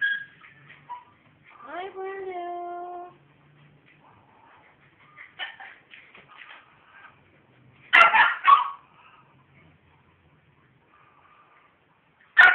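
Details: Brando, a pet pit bull, whines in a drawn-out rising tone, then after quiet stretches gives a burst of loud barks and a final sharp bark, with faint voices between.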